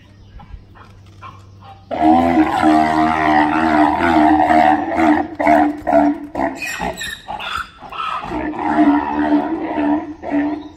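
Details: Male Grévy's zebra at Los Angeles Zoo, kept apart from the two females and their foals and watching from the gate all day, screaming: a long harsh braying bout with pulsed, wheezing harmonics, then choppy repeated gasps and a second rasping stretch.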